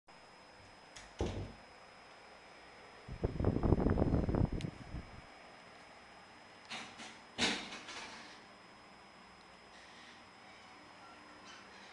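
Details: Quiet room broken by a few knocks, a rattling scrape lasting over a second, and sharp bangs like a door or cupboard moving.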